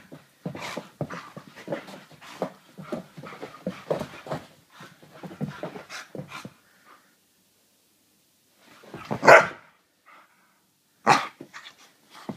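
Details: Wheaten Terrier puppy, freshly bathed and excited, gives rapid rough pants and scuffling for five seconds, falls silent, then lets out two sharp loud barks spaced about two seconds apart.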